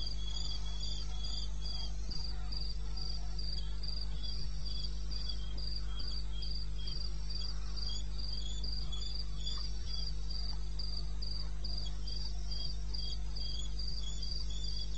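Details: Crickets in eastern Botswana's wilderness at 2:30 AM, 21 May 2016, keep up a continuous high pulsing trill with a second steady lower-pitched caller, over an unbroken low hum.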